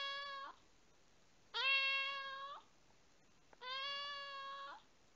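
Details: Three long, steady meows from an indoor rescued domestic cat. Each lasts about a second, is rich in harmonics and tails off downward, with quiet pauses between them.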